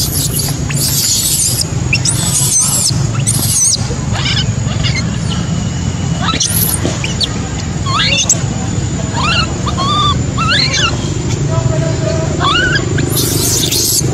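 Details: Baby macaque crying after its mother abandoned it: loud shrill screams at the start and end, with softer wavering whimpers and short chirping notes between, steady low-pitched background noise.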